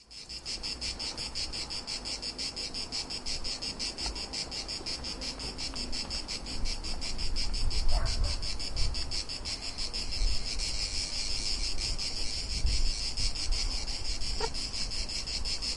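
Cicadas make a steady, high-pitched buzzing drone, pulsing rapidly and without a break.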